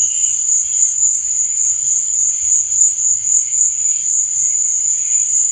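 Crickets trill steadily at night, a continuous high-pitched shimmering chorus.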